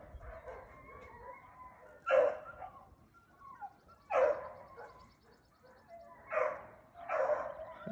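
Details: Young Beagle hounds, seven to eight months old, running a rabbit; loud barks and bays burst out roughly every two seconds over a busy background of fainter baying and brief voices.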